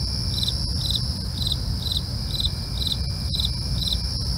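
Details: Crickets at night: steady high continuous trilling plus a separate chirping pulse repeated about every half second, over a low rumbling background.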